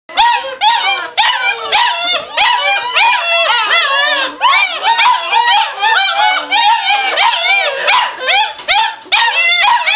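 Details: Litter of puppies being raised as future service dogs, yelping and whining together indoors in a dense, overlapping chorus of high, bending cries with no break.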